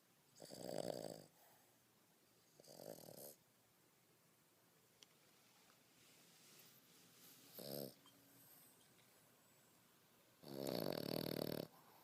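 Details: Snoring from Beau, a French Bulldog aged 5.5 months; four irregular rasping snores, two early, one short near the middle and a long loud one at the end, with long quiet gaps.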